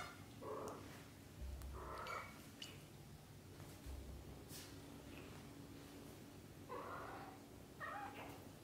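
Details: Young British Shorthair kittens, zero to thirty days old, call in brief wavering mews, two early and two late, separated by quiet stretches, with low thumps and a constant background hum.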